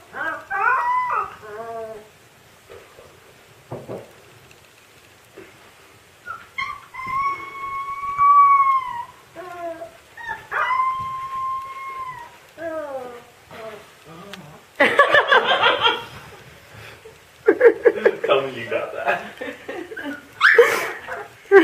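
A Siberian Husky puppy howls in long, wavering, slightly rising notes between short whimpers and yips.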